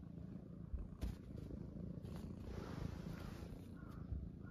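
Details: Munchkin kittens settled on a person's belly in the morning; a low, rough, even purring rumble runs beneath a few sharp bumps and rustles of movement.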